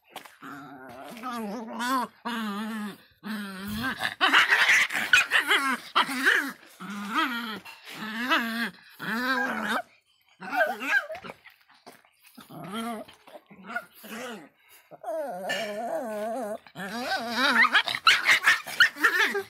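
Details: A Miniature Pinscher barks angrily in irregular bursts of wavering, growly yaps, several close together, then brief silences and renewed barking. The sound is raspy and strained throughout.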